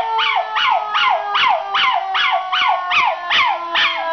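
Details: ['Zig, an 8-month-old male miniature schnauzer, howls at a siren: rapid falling yelping cries repeat about every half second over a steady drawn-out tone.']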